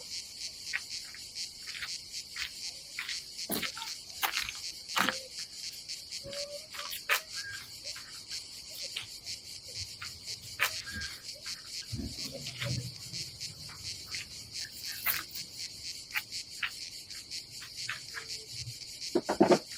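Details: Summer cicadas at a seaside campsite on the Adriatic coast of Croatia: a continuous shrill buzz runs throughout, broken by frequent sharp clicks and knocks and a few low murmurs nearby.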